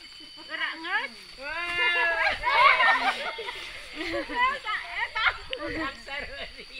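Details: Sheep during mating in the village of Sirna Rasa; several wavering, harmonic bleats overlap and rise and fall, some long and quavering, others short, over a faint background hum.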